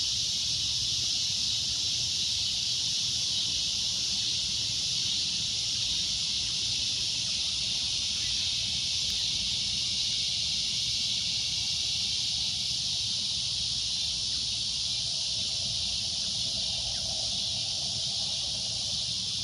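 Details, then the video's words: A cicada's shrill droning noise runs steadily and unbroken throughout, a high hissing buzz over a faint low rumble of background. "CICADA A Loud Shrill Droning Noise"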